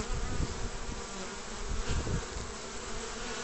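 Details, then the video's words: Honey bees at a hive basket entrance in spring, late March 2014: close, rumbling buzz with rapid low flutters, wingbeats of bees flying near, over a constant background hum. "Na žrelu koša s čebelami 29 marca 2014"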